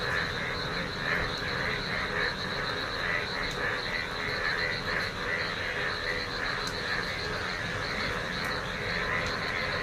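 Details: Frogs call in a field where rainwater has collected during a rainy day. A continuous chorus of repeated croaks holds an even loudness throughout, layered over a high steady hum, with occasional sharp clicks.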